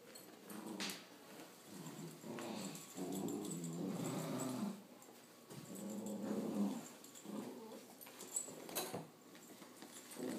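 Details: Playful growling from a Blue Picardy Spaniel puppy during a game of tug of war, a low throaty rumble sustained for about two seconds, a brief break, then another long growl with fluctuating loudness, and occasional thumps indoors.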